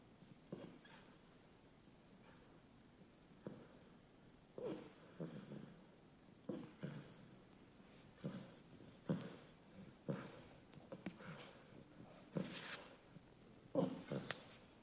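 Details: Sid, a beagle puppy, snoring after a light 4k walk: soft, short snorting breaths, each a brief low rasp, arriving irregularly about every one to two seconds against a quiet background.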